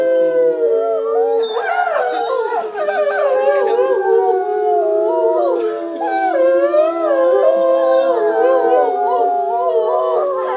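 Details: Several wolves howl together at the International Wolf Center in Ely, Minnesota, long smooth tones sliding up and down and overlapping in a chorus.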